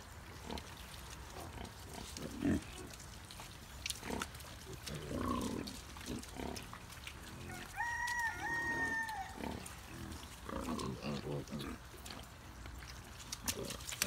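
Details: Piglets in a feeding frenzy at breakfast on a farm, a billy goat nearby; irregular short grunts and snuffles run throughout, with a sustained tonal squealing cry midway and faint human speech.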